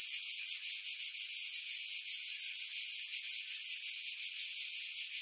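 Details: Cicadas singing in pine trees about 50 m above the sea at Pefkos Bay, Skiros Island, Greece, in July 2018: a continuous high, hissing buzz pulsing roughly three times a second, with nothing low beneath it.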